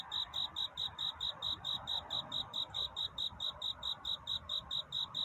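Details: Cricket singing on a courtship night toward dawn: a steady run of short, high, pure chirps, a little over two per second, evenly spaced, over a soft, low, rushing hiss.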